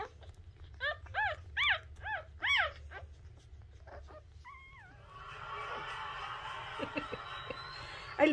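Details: Newborn Shih Tzu puppy at the moment of its birth, giving about five high, harmonic squeaks that rise and fall, packed between one and three seconds, then one brief steady whine, followed by rustling handling noise.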